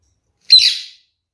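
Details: Kakariki parakeet from a captive pair, described as docile, curious, ground-scratching parrots; a single loud, harsh, raspy squawk of about half a second, fading off, in an otherwise quiet indoor space.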